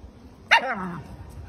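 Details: Puppy playing with a balloon at home, giving a single short sharp yip-like bark that slides downward and fades into a brief low whine, with quiet room noise and a person speaking nearby.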